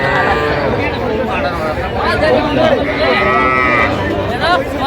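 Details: Young Sahiwal bull and heifer calves at a crowded cattle market in Jamalpur, Bangladesh, 25 October 2025. Several drawn-out, rising-then-falling moos overlap constant bargaining chatter from buyers and sellers.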